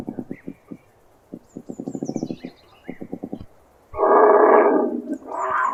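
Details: Puma giving a series of short, low, throbbing growl pulses in uneven runs, followed by loud raspy snarls in two harsh bursts.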